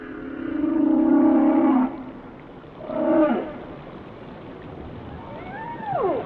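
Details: Whale song: a long, steady, harmonic moan held for almost two seconds, a shorter swelling tone near three seconds, then a pair of high, arching downward sweeps at the end.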